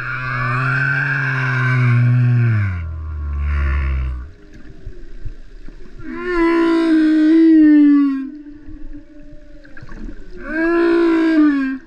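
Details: Humpback whale song recorded in Vava'u, Tonga; a deep moan drops lower still and fades, then two higher, wavering cries rise and fall in turn, each with bright overtones, separated by bubbly underwater hiss.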